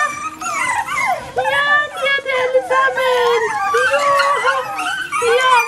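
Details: Several Bichon Frisé puppies of the O and P litters whine nonstop, their thin, rising and falling squeals crowding one another over a faint background hum.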